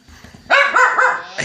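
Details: Dog licking and cleaning a cat at home; after quiet murmuring, a burst of loud, harmonic barks, three quick yaps in about one second, then another begins.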